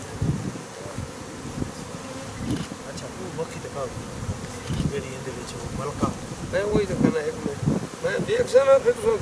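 Honey bees buzz steadily, a low droning hum that swells and fades as they fly close.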